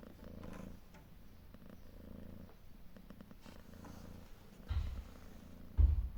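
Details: Rhythmic deep purring from a protective calico mother cat caring for three kittens of different colours outdoors; soft steady rumble, broken by two brief knocks or bumps near the end.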